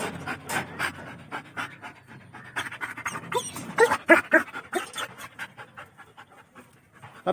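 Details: German Shepherd puppy at home panting rapidly in quick breathy bursts, with a person's voice calling and laughing nearby.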